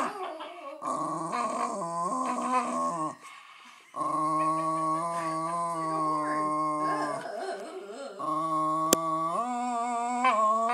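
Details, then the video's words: Patterdale Terrier male showing off his vocal talent with long, sustained howls, steady tones broken by brief pauses and pitch shifts, a quiet gap near three seconds, then more drawn-out singing howls; light music underneath. "Singing Patterdale Terrier"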